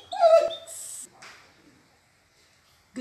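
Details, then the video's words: Talkative female Border Collie reacting to food, possibly her favorite chicken, giving a high, wavering whine with rich harmonics for half a second. Fainter noises and a short clatter follow. "Talkative Dog Food Review Gone Wrong?/Border Collie"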